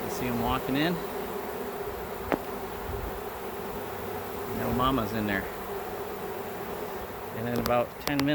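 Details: Honey bees swarming in a home back yard while being captured: a continuous low, even hum fills the recording, broken by short bursts of a man talking at the start, middle and end.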